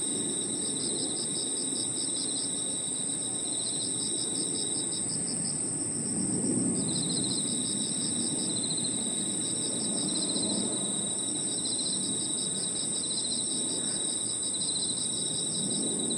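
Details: Evening park chorus of crickets and other insects, a continuous high-pitched ringing drone joined by overlapping pulsed trills that start and stop in bursts of a few seconds, with a steady low rumble of distant noise underneath.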